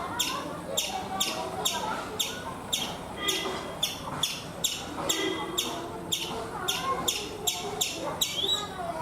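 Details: Chipmunk calling from a coconut tree in India: crisp, high chip notes repeated regularly about twice a second, over faint chatter and low background noise.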